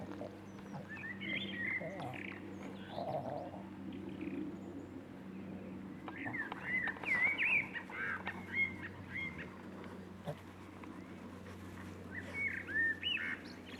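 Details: Boston Terrier puppies, six weeks old, let out scattered squeaky whimpers and short high yelps at irregular intervals, loudest in bursts around the middle, with a constant low background hum.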